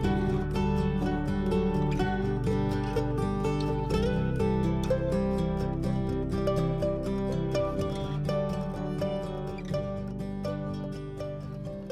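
Plucked string music with steady harmonic notes and a regular beat; no animal sounds are heard.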